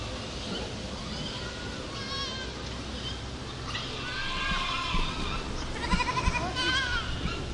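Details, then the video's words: Goats in a herd calling over a busy, noisy background, with several overlapping bleats, some faint early on and a louder cluster of wavering, nasal bleats toward the end. "Herd of Goats Sound Effect"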